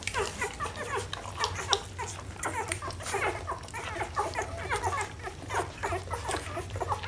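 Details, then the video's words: A litter of Rhodesian Ridgeback puppies fills the room with overlapping high whimpers and squeals, many short cries tumbling over each other without pause above a low background hum. "Rhodesian Ridgeback Puppies"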